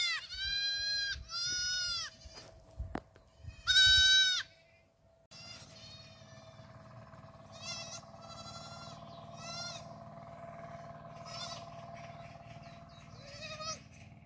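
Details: Black goat kids at a farm in Gimhae, South Korea, July 2022, running in a group; a quick run of loud nasal bleats, a sharp bang, then softer scattered bleats from several kids over a constant droning hum.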